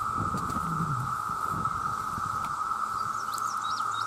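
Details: Male cicadas in their millions calling for mates, a loud, steady droning tone held without a break, with low rumbling and a few faint high chirps in the background.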